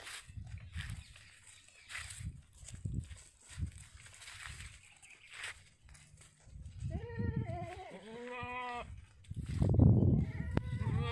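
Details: Sirohi goats on a Rajasthan farm near Ajmer. Thumping and shuffling noises come first, then a run of wavering, quavering bleats follows in the second half, ending in a burst of loud knocking.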